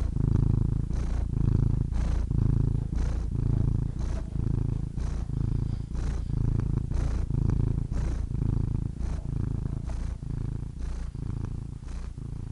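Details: Loud contented purring from a happy cat: continuous deep rumbling throughout, punctuated by soft airy breath surges about every second, alternating in-breath and out-breath phases, nothing else audible.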